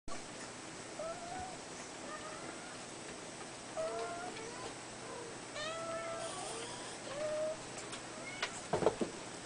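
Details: Red Abyssinian male kitten, five weeks old, giving a string of short, thin, high mews, about eight soft arched calls spaced through the clip, each slightly rising then falling, with a few sharp knocks near the end.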